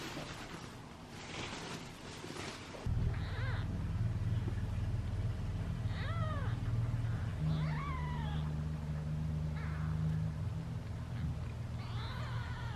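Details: Kittens from a litter of seven wait hungrily in a basket at feeding time. A series of short, falling mews begins after a loud rustle and repeats every second or two over a strong low droning hum.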